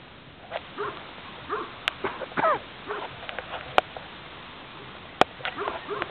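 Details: Spanish mastiff of the transhumance breed, recorded on a farm, making quick arched whimpers and yelps in close succession, with sharp clicks and a brief louder rustle partway through.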